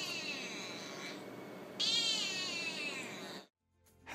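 A domestic cat gives loud, insistent meows that waver in pitch, the kind used to demand attention, food or play. Music runs underneath, and a brief separate sound comes in at the very end.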